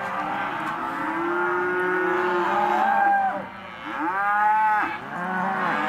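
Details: Auctioned Hereford and white-faced calves giving several long moos, one drawn-out low call then two loud bellows that rise and fall, with quieter calves mooing underneath.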